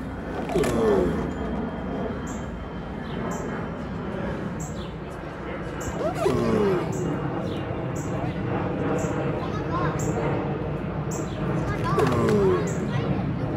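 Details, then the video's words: Giant tortoises mating: a deep, falling, harmonic groan repeats roughly every six seconds, three times in all, over a steady murmur of people talking nearby. "Tortugas apareamiento ruido. Tortugas apareándose"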